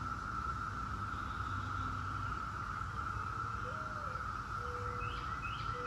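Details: Brood X periodical cicadas, the 17-year brood, holding a constant buzzing drone without pause, while a bird adds a short rising note and level low whistles near the end, plus faint chirps.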